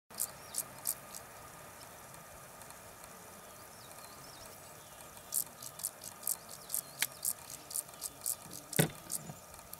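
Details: Common field grasshopper (Chorthippus brunneus) song: short, dry, rasping chirps repeated in a quick series.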